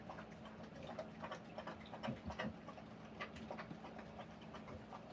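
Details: Rottweiler mother panting during the live birth of her puppies: quick, soft breathy bursts repeated roughly three times a second, rather irregular, over a steady low hum.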